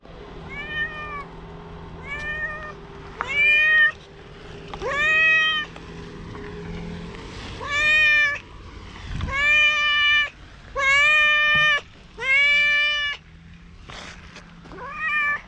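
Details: Stray cat that looks like a tanuki, very affectionate at a campsite after rain, Japan; a long run of clear harmonic meows, about ten, each under a second, coming every second or so, with a low steady hum beneath.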